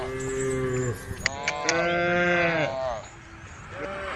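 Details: Herd of cows heading along the road to the barn, calling to one another: drawn-out, steady moos overlapping, a couple of sharp clicks in the middle, and a quieter call at the end.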